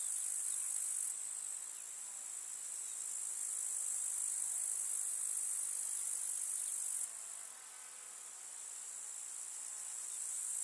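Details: Summer meadow grasshoppers stridulating in a rural field, a continuous high, hissing buzz with a brief dip in loudness near the start and another drop around seven seconds before rising again.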